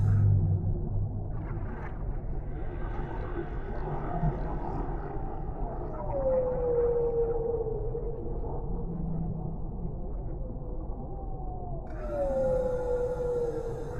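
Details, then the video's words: Whale calls in calm deep-sea ambience: slow, echoing moans with long, smooth downward sweeps near six to seven seconds and again near twelve to thirteen seconds, over a steady low rumble of water. "Suara Relaksasi Paus di Laut Dalam , Relaxing Sounds of Whales in the Deep Sea"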